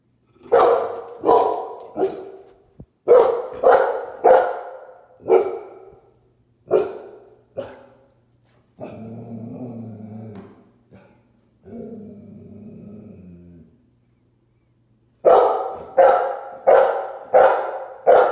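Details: A Golden Retriever barking at its own reflection gives loud, sharp barks in quick bursts, broken by a lower, drawn-out grumbling sound.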